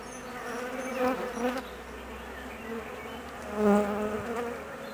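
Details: Honey bee colony humming nervously and anxiously while the queen is away for about 45 minutes on her mating flight; a dense buzzing drone with wavering tones, swelling in two louder bursts.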